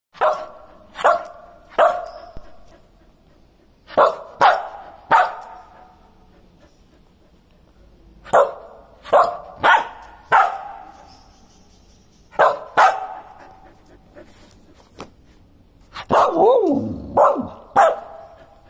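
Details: A talkative Samoyed dog gives about sixteen short, mid-pitched barking yelps, mostly in clusters of two or three separated by brief pauses, ending with a wavering, yodel-like vocal run, in a quiet room.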